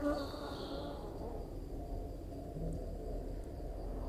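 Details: Honey bees buzzing as a beekeeper opens a full hive and searches the frames for the queen while splitting the colony; a low, steady hum with quiet talking nearby.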